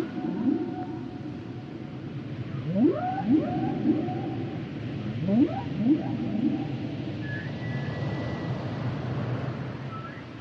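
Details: Humpback whale song: paired rising upsweeps repeated twice, each pair followed by level tonal moans, then a higher thin whistle late in the clip, over low background rumble.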